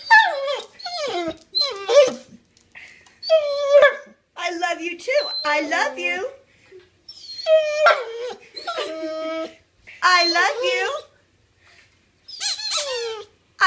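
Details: Otis, a pet dog, asks for a new toy indoors with a long run of wavering, howl-like whines. Pitch rises and falls within each burst, and the bursts come in quick succession. A person talks back now and then.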